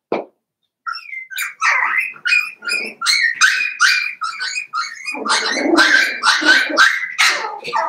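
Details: Litter of Cavalier King Charles Spaniel puppies, Daisy's, aged seven weeks, in a pen in the middle of a busy home: continuous high, wavering whimpering and yelping, several pups crying over one another without pause.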